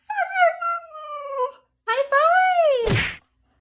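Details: Talking female Siberian Husky, indoors, scared and nervous about going to the vet with a fever; two long drawn-out speech-like howls, the first falling, the second rising then falling, ending in a brief thump.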